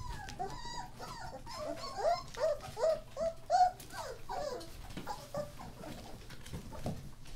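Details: Thirteen German Shorthaired Pointer puppies born New Year's Day 2014: a run of clear, whistled squeals in the middle, sliding up then down, rising to a louder cluster, then fading into scattered softer whines and rustling.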